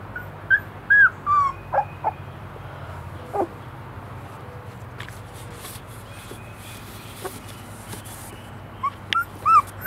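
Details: Three-week-old Airedale Terrier puppies from a litter in East Tennessee, giving thin, high whimpers and squeaks in short bursts near the start and end, with a quiet stretch between and a low steady hum underneath.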